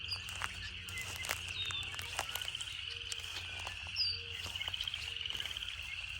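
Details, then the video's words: Cicadas in a relaxing nature setting: a steady, shrill, buzzing drone holds at one high pitch throughout, with brief high bird chirps, short low hooting notes and faint low rumble beneath. "Canto das Cigarras"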